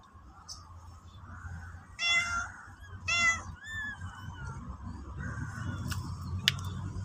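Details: Stray black mama cat, newborn held in her mouth, calling people to follow her to the nest: two loud, rich meows a second apart, then softer falling calls over low background hum.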